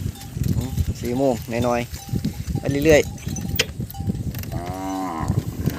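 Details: Young cattle bawling for missing mothers, several overlapping wavering moos in quick succession, then a longer, steadier lowing call, over a background of low rumbling and knocks.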